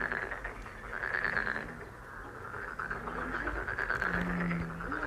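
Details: Many frogs calling together in a dense, continuous croaking chorus of rapid pulsed notes, steady throughout, with a short low hum near the end.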